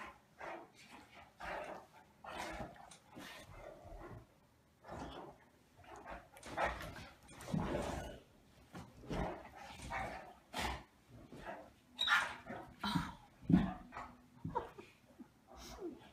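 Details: Pair of Great Danes wrestling playfully on a bed in a small room: repeated throaty growls and gruff barks in uneven bursts, some louder snarls near the end, with rustling of bedding between.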